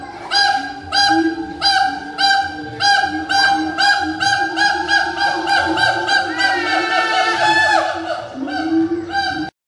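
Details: Siamang, an endangered gibbon, giving very loud territorial song: a fast, steady series of ringing, honk-like barks, about two per second, building into a continuous quavering stretch before breaking off abruptly.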